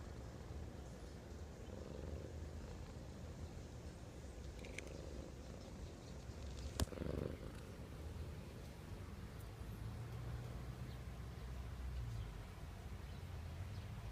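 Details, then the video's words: Cat asleep, recorded at close range as it purrs or snores: continuous low throbbing rumble rising and falling with each slow breath, interrupted once midway by a sharp click. "Cat purr (snore)"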